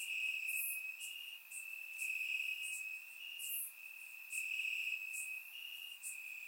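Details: Crickets chirping in grass on a warm summer night in Bulgaria, recorded with a surround microphone: a steady high trilling band with pulses, overlaid by brighter bursts of chirps from other insects repeating about every second.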